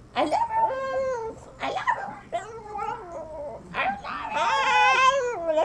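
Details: Hank the Tank, a little pet dog, 'talks' in an attempt at saying 'I love you': wavering, harmonic, whiny yowls in several phrases that rise and fall, with short gaps between them.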